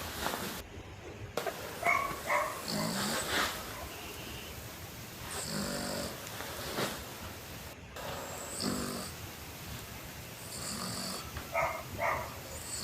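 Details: Sleeping pet dog snoring loudly, with short rough, buzzy snores recurring every two to three seconds, some carrying a faint whistly edge, over a steady background hiss.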